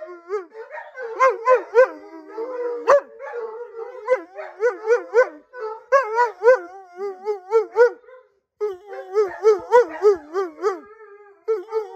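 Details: A Siberian Husky, Blue, wanting more attention, slowly builds into a wavering, yodelling howl of rising and falling notes.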